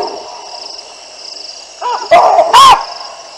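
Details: Alarm calling by baboons as two lionesses pass beneath their trees at the Olifants River in Africa, on a live camera on 9 December 2022. Softer calls build into two loud, harsh barks near the end, with a constant high drone behind them.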